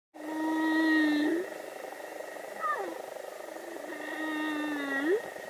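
Humpback whale song: a drawn-out, steady low moan that turns upward at its close, then a short whistled swoop sliding down. A second long moan follows, again rising sharply as it ends.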